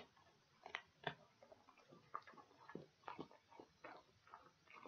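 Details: Dog chewing pig ears, recorded for ASMR: irregular crunchy clicks and snaps come every fraction of a second, with soft wet gnawing between bites and no other sounds.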